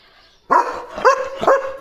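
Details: German Shepherd barking in the morning at a dog passing by the gate, running and barking loudly: three loud, harsh barks within about a second, each with a strong rough tone, over quiet background.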